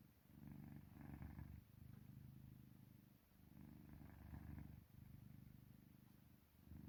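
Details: Pet cat Park Haru in deep sleep, a sound between purring and snoring: low rumbling bursts swelling and fading with each breath, about three long cycles, with short pauses between breaths in a quiet room.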